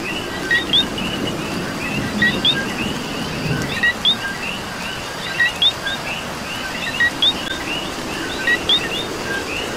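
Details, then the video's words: In Puerto Rico rain, several coqui frogs keep up bright two-note whistles, a brief low tone then a higher upslurred one, overlapping at an uneven pace above a constant rain hiss. "Coqui and Rain"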